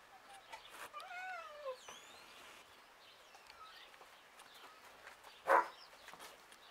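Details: Street cats waiting for food at lunchtime outdoors give a short run of wavering meows, rising then sliding down, in the first two seconds; faint background rustles, then a sharp knock near the end.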